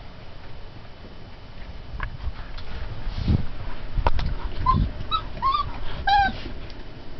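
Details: Twenty-day-old Turkmen Alabai puppies giving a short run of high, wavering whimpers in the second half, some sliding downward, over low rumbling handling and background noise.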